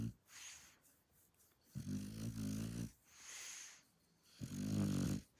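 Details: Sleeping Shar Pei dog with a loud, buzzing, low snore on each in-breath, heard twice, each lasting about a second, alternating with softer hissing out-breaths.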